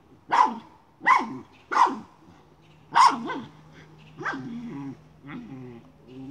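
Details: Miniature schnauzer hunting a chipmunk and moving a pipe: four loud, sharp barks at roughly even spacing, then softer, shorter yaps trailing off with a low hum beneath.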